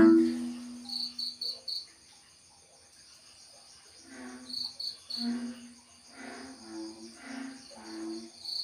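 American bullfrog breeding calls: deep, resonant croaks repeated in short bursts, with crickets chirping behind.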